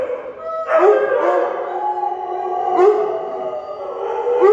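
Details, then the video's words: Group howling by a Husky, a German Shepherd and a Weimaraner: steady drawn-out tones held under sharper rising whoops that recur about every two seconds. "Husky, German Shepard, Weimaraner random song and dance. Mostly song."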